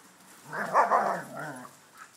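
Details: Dogs in a household with a Schnauzer, a Ridgeback and shepherds: one drawn-out, wavering harmonic yowl lasting about a second, rising then falling in pitch, with a fainter trailing note afterwards.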